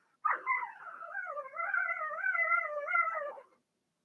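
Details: Young Blenheim Cavalier King Charles Spaniel puppy in a home whelping pen, one of a litter of six, two females and four males; a single sustained, wavering whine lasting about three seconds, pitch gently rising and falling.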